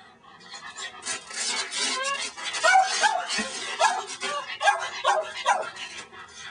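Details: Tilly, a female pet dog, hunting a praying mantis on 11/3/06, gives short high-pitched yipping barks in quick bursts, roughly two each second, while people talk alongside.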